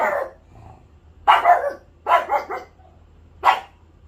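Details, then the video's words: Pet dog giving four short, gruff barks in about three seconds, the second and third close together, with quiet pauses between. "The sound of a pet dog with a cute face"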